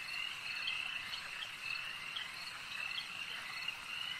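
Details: Many frogs at a lake keep up an unbroken high-pitched trilling chorus, with brief sharper calls popping out about twice a second.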